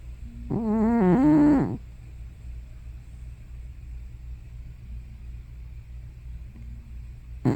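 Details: Elderly tortoiseshell house cat Hana, probably over fifteen, asleep at home and snoring or sleep-talking: one loud, wavering, harmonic groan lasting about a second, its pitch dipping and rising, followed by quiet low hum and a click at the end.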